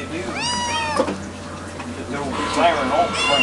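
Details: Domestic cat meowing hungrily, with arched harmonic meows around 0.3–0.8 s and more near 2.5 and 3.3 s, while a man talks to it about being all wound up like a siren.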